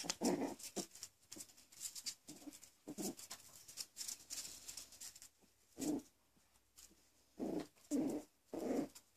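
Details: Coton de Tulear puppies almost six weeks old, indoors, giving short low growls and whimpering bursts at irregular intervals amid rustling and soft handling noises.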